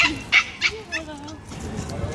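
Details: Pomeranian puppy playing with another small dog: three sharp, high yips in quick succession at the start, followed by a person's voice talking over low room noise.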